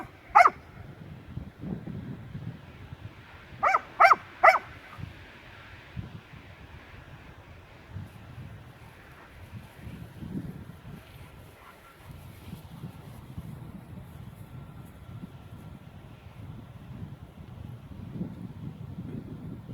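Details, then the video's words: A Leonberger dog called Aslan claims a new toy as his own with one sharp high yelp, then a rapid cluster of three more. Long quiet follows, with only faint low background noise. "Leonberger dog Aslan - "got a new toy and it`s MINE MINE MINE""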